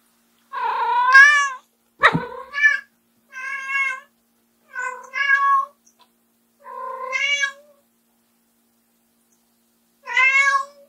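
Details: White short-legged Munchkin cat, female, indoors, meowing loudly and persistently to call her owner back after the owner leaves the room; six drawn-out harmonic meows, rising then falling, spaced about one to three seconds apart, with a brief knock.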